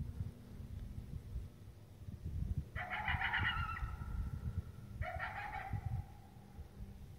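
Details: Coyote barking in the morning, heard on the way to a tree stand: two drawn-out wavering bark-howls that fall in pitch, about two seconds apart, over low rumbling wind or vehicle noise.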